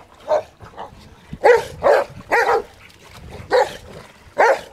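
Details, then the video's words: Rottweilers playing in water, barking in short broadband bursts, six loud barks spaced unevenly across under five seconds with quieter yips between them. "Rottweilers play in water"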